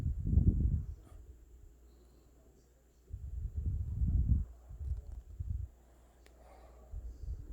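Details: Deep, grumbling snores from a sleeping Boston Terrier puppy, two longer rumbling breaths about three seconds apart, followed by a shorter one and faint snuffling.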